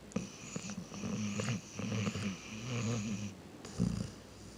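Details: Sleeping dog snoring indoors: low rattling, pulsing breaths in long bursts, each drawn-out snore followed by a short pause, with a faint hiss riding above the rumble.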